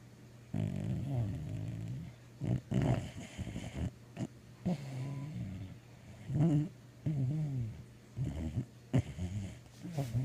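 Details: Gracie, a mixed-breed dog, snoring and dreaming in her sleep: low rumbling breaths in uneven bursts with muffled grumbling whimpers between them, over a steady low hum indoors.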